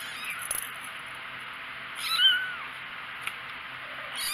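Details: A single clear mew from four-week-old kittens, rising and then falling in a smooth arc midway through, set against soft background hiss and a low hum, with a few light taps.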